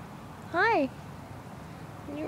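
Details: Murphy, a stray tomcat that hangs around outside, sitting in a lap and giving one short meow that rises and then falls, with a faint low hum of outdoor background and a person's voice starting just after.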